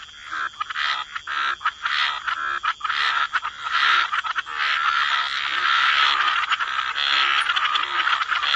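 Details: Frogs croaking by the water in a wetland, scattered raspy croaks that merge into a dense continuous chorus in the second half.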